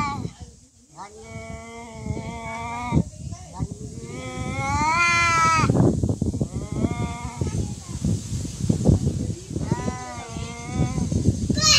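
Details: Cats fighting: long, wavering harmonic yowls rise and fall over several seconds, the loudest stretch swelling in pitch midway, with human voices and rustling underneath.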